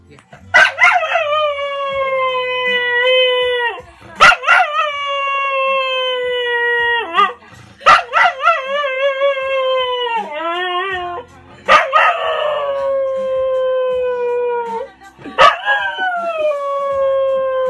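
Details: An English Cocker Spaniel "sings" along to a favourite R&B song, howling in long, sustained, wavering tones lasting a few seconds each.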